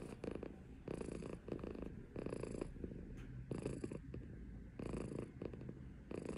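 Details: Female silver tabby Maine Coon cat purring close up in a small room, deep rumbling pulses rising and fading roughly every second, breathy rasp on each inhale and exhale, no other sounds.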